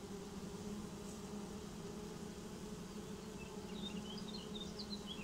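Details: Honeybee swarm settling into a new home, a steady droning hum with a low fundamental and an overtone above, constant throughout; scattered high chirps of small birds drift over the buzz toward the end.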